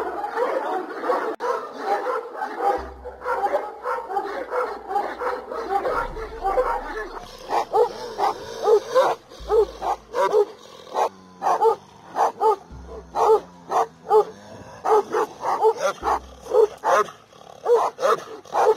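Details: Kangal dogs guarding nomads' flocks in Turkey, a dense chorus of barking at first, then a single dog giving loud, evenly spaced deep barks about every half second to a second, with low thumping noises.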